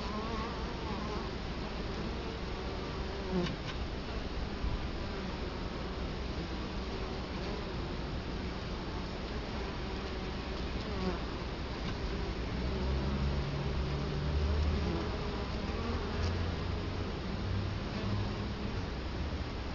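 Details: Italian honey bees at a hive entrance in Colorado Springs during October 2011, filmed up close; a low continuous drone with wavering hum tones and occasional brief louder passes under a rough, noisy background.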